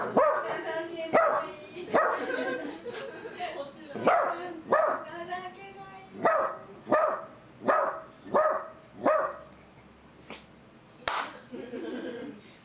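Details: A miniature dachshund barks at a Yorkshire terrier, which steps back frightened, in sharp, fairly high-pitched bursts, repeated irregularly more than once a second.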